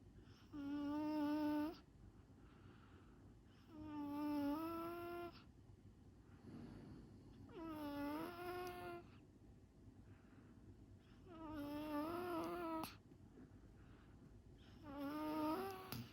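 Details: Rescued Smooth Chihuahua fast asleep on its second day home, giving five loud, buzzy, nasal snores, each about a second long with a whistling tone that sometimes lifts at the end, repeating every three to four seconds indoors.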